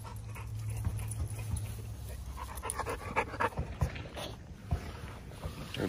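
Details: Breathy panting from Zeus, a lilac tri American Bully pitbull, outdoors one morning after feeding and a short walk. Soft, uneven puffs repeat under a person talking, with a low background rumble.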